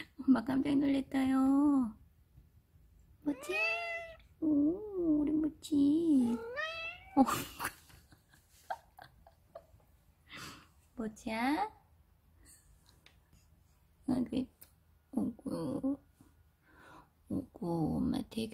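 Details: Domestic cat, likely Mochi, a neutered male Scottish Fold born in 2015, indoors among four household cats, gives a series of drawn-out, wavering meows and chirping trills with pitch bends, then shorter calls between pauses; soft rustling and low voices in the background.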